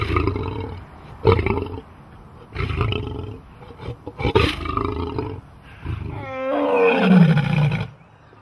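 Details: Big cat. Several heavy, breathy roars come in quick bursts, rumbling low and coarse. The last sound is longer and more tonal, a wavering moan that slides downward before fading.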